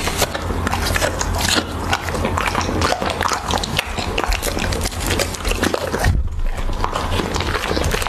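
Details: Close-miked Siberian Husky chewing raw beef: dense crunching bites and wet smacking in quick succession, with a brief pause near the sixth second and a constant low hum.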